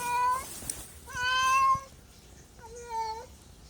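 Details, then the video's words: Domestic cat meowing indoors: three drawn-out, harmonic meows, the first two longer and steady, the last shorter with a slight rise and fall, separated by brief pauses with faint background noise. "MEOWING MEOWING - CAT CUTES - CAT FUNNY - SOUND CAT - MEOW CAT 01"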